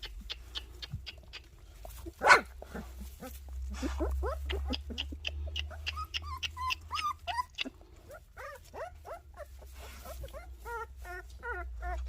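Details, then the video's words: Several puppies whining and yelping together: many quick, high, bending cries and whimpers, some repeated in short bursts, with a sharp knock early on and a low background hum. "순심이, 조이 강아지들"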